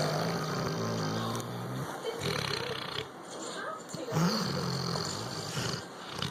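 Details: Labrador Retriever snoring while asleep: low, rumbling breaths with harmonic bands, a long drawn snore in the first two seconds and another near four seconds, separated by quieter, noisier exhalations.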